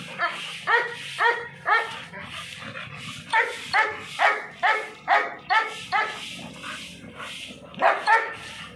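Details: Rapid string of clipped, ringing barks from an American Bully, about two per second, each short and bright, pausing briefly near the end before a final pair.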